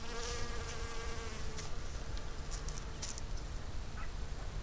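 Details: Honey bees working garden blossoms along the Fresno County Blossom Trail, February 2011. A continuous droning hum with a steady pitch, a few soft high clicks, and low wind rumble in the background.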